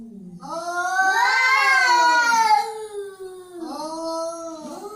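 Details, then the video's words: An angry cat's loud, harsh caterwaul that rises into a tense, wavering howl and slowly falls, then two shorter moaning yowls follow in quick succession, recorded close up. "Angry Cat Sound"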